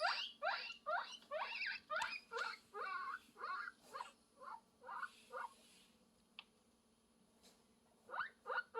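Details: Guinea pig; mating call; courtship, calling for a mate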